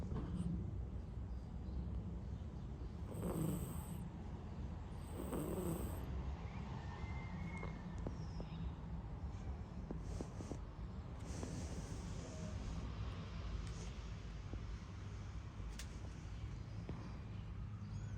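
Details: Sleeping cat Bagheera dreaming and snoring, a steady low, breathy rumble throughout, with a few louder puffs early on and brief faint high chirps in the background.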